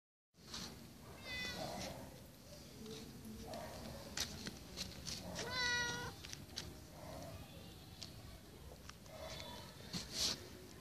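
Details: A cat gives a few short rising meows, around two clear harmonic cries near the second and sixth seconds with fainter ones between, over a steady low background rumble and small clicks.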